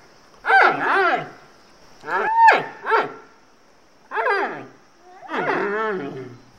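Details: Giant panda barking and growling: five harsh, strained calls over about six seconds, each with a rising then falling arch, some doubled, with short silent gaps and a faint steady high hiss behind.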